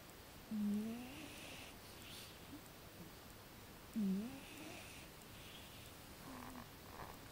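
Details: Still asleep, the cat Neko gives two strong, low rasping snores about three and a half seconds apart, then a fainter third one, with quiet background between breaths.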